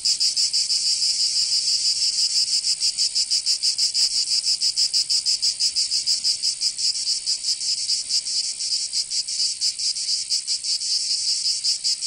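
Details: Provençal cicadas singing in summer in southern France, a high, grating buzz with throbbing pulses that loosen and grow irregular toward the end, steady loudness and no other sounds.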